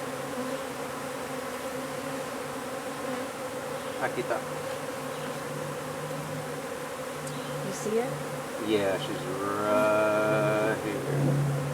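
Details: Hive of honey bees being removed from beneath a wood pile in McAllen, Texas; a constant droning hum with stacked steady tones fills the recording, with scattered clicks and a brief bright whistle-like tone late on.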